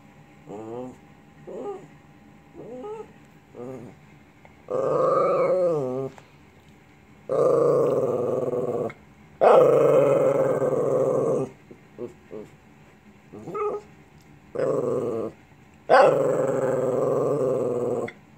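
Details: Lhasa Apso dog "talking": a run of drawn-out growly moans and whines with rising and falling pitch, several long grumbling bursts of one to two seconds separated by short pauses, a person's voice in between.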